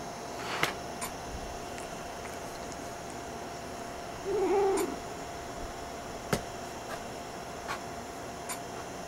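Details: Angry domestic cat that dislikes having its tail messed with while trying to sleep: a single low, wavering growl-like moan of about half a second midway, over steady hum and faint clicks indoors.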